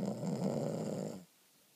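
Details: A female Boston Terrier, fast asleep with something in her mouth, snores with a loud, rumbling, raspy breath that stops abruptly.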